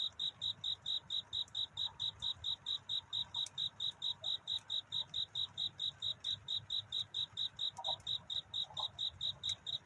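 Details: Night courtship song of a cricket, seeking a mate before dawn: bright, evenly spaced chirps at a single high pitch, roughly four per second, over a quiet low rumble with a few faint ticks.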